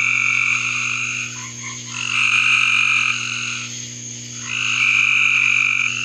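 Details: Frogs in a backyard giving long, high trilled calls lasting around one to two seconds, a pause of about a second between bursts, over a steady faint hum.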